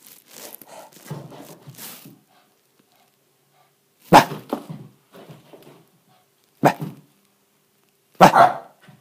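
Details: Male Shiba Inu puppy in frenzy play mode inside an apartment; scattered loud sharp barks at irregular gaps of two to four seconds, between bursts of scuffling, panting and knocking noises.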